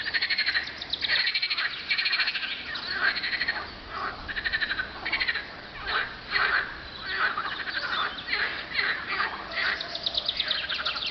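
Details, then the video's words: Croaking frogs on a hot spring day in late April 2012: many callers produce rapid rattling trills that swell and dip in loudness, repeating in bursts, with a quiet, clean background. "Frog calls on a hot spring day"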